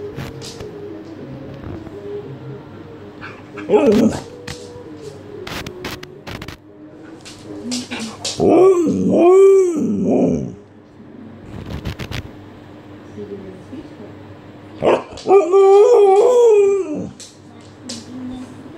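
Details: Makita, a female Alaskan Malamute, indoors trying to wake her owner: two bouts of drawn-out, wavering woo-woo howls that rise and fall in arches, separated by quiet spells with scattered knocks and a person's voice.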